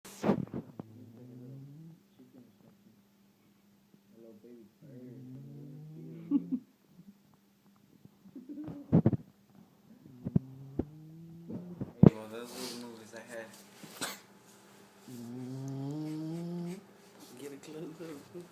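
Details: Sleeping bulldog snoring loud indoors, drawn-out nasal rumbles in bursts of about two seconds with pauses between, a man's voice breaking in near the end while the snoring carries on.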